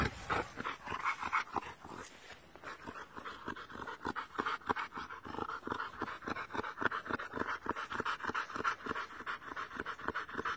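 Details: Playing boxer dogs with an American Bulldog, heavy fast panting repeated several times a second, punctuated by soft growls and grunts, continuous and close throughout.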